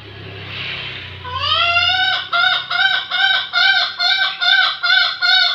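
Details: Bekisar, a rare fowl: after a faint murmur, a series of loud nasal harmonic calls begins and repeats about twice a second, each note bending slightly downward, with low background hum.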